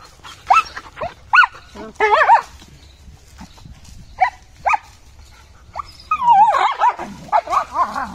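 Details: German Shepherd puppies Jaxx and Jiya at play, giving scattered short high yips and whiny barks, then a warbling, wavering whine-like run near the end, over a low background rumble.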